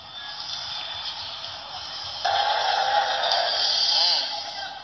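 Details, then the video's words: An Asian elephant of the Sumatran subspecies lets out a loud, brassy trumpet, its maximum roar, said to carry 10 kilometres; it starts suddenly and wavers before fading. Recorded 27 February 2017. "RANI ELEFANTUL ASIATIC ( ELEFANTUL DE SUMATRA ) RĂGNETUL MAXIM"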